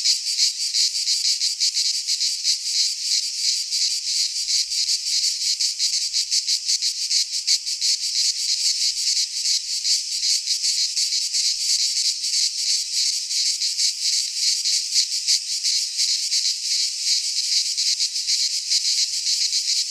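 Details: Sustained high-pitched shrilling from cicadas in a Greek pine forest during midsummer, a thick wall of buzzing sound with fast rhythmic pulses near three per second and no breaks or other noises.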